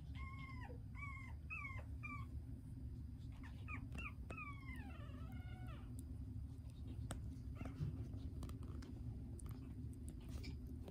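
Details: A tiny toy poodle puppy giving high, thin whining squeaks, short rising-and-falling whimpers in quick runs, then a longer drawn-out whine, over a steady low indoor hum, with scattered small clicks.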